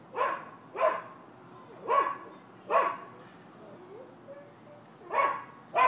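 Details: On 12/7/15 at a Florida property, the neighbors' dog barks steadily, one loud bark about every second. A short quiet gap breaks the rhythm before the barking resumes.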